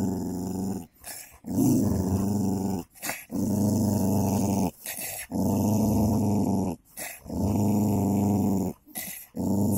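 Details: Two dogs, a golden labrador and a cocker spaniel, in a fight: deep sustained growls in long bursts of about two seconds, repeating steadily with short breaks between them.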